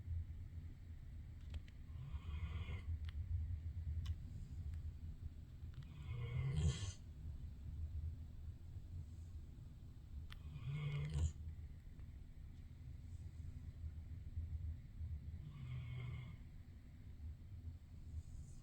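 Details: A dog asleep in a bed, not its dog bed, snoring: a steady low rumble with louder, rasping breaths surging roughly every four to five seconds in a quiet room.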